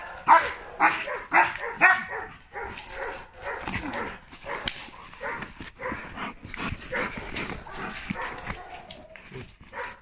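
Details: German Shepherd, two years ten months old, barking repeatedly in quick, rough bursts about twice a second, interspersed with yips and whimpering notes amid background clatter.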